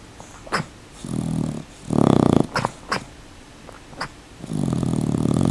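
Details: Sleeping with his eyes partially open, sweater-clad dog Rocket gives three low, rough snores, a short one, then a louder burst, then a longer drawn-out one, with small clicks between breaths in a quiet room.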